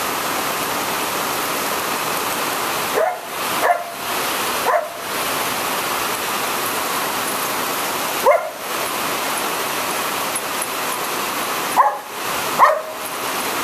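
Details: Belle, a female Border Collie, barks angrily at rain and thunder, not afraid; several short sharp barks in two clusters, around 3 to 5 seconds and again near 8 and 12 seconds, over steady loud rain noise.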